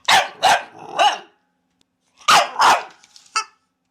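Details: A dog gives three quick barks, a brief silence, then two more barks and a short yip.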